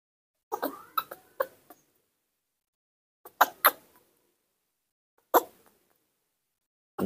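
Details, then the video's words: Nomi, a newborn monkey kept indoors and calling for its mother, gives bursts of rapid, harsh, clicking squeaks in groups of three or four, separated by silent gaps of one to two seconds. "The melodious and beautiful voice of the newborn baby monkey Nomi calling its mother"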